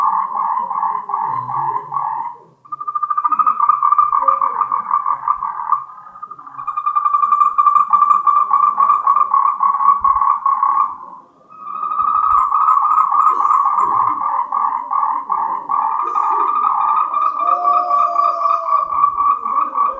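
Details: Moltrecht's green tree frog, endemic to Taiwan, mating call: loud trains of fast pulsed rattling croaks lasting several seconds each, separated by three brief gaps, pitch staying level, over soft low background murmur.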